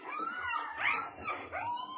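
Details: Indoors, Lolo the Alaskan Malamute lets out a wavering, yodelling whine, its pitch rising and falling in several quick arcs over two seconds, with a faint room hum beneath.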